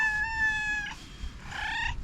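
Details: An angry house cat, upset with another cat, utters two drawn-out yowls. The first is steady and almost a second long; after a short pause comes a briefer second cry, over low background rumble.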